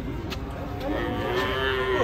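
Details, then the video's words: Agitated cattle from an Indonesian compilation of angry cows: a single low, drawn-out moo holding steady and growing louder toward the end, over rumbling background noise. "SAPI NGAMUK"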